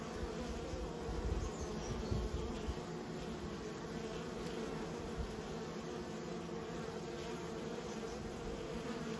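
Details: Kept honey bees humming as a continuous colony drone, steady low-mid buzz with slight swells of loudness early on and a few soft low thumps, otherwise unchanging.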